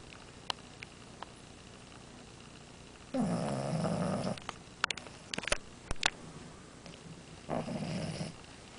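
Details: Amora the French Bulldog snores once loudly with a coarse, fluttering rasp, then a fainter second snore follows several seconds later; scattered small clicks and taps in between.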